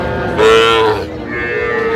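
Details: A short, loud, steady moo from cattle at the Aftabganj market, where Sahiwal bull calves are traded, 16 August 2025; a second fainter moo follows and price talk murmurs behind.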